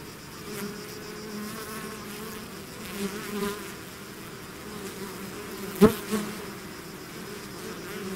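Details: Bee swarm leaving its hive, natural recording: steady droning hum with layered bands, continuous throughout, one sharp brief click near the sixth second.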